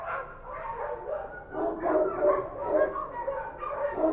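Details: Several Kochi street dogs barking at night in Kabul, Afghanistan. Dense, overlapping barks come almost without pause, rising and falling in loudness as the dogs bark over one another.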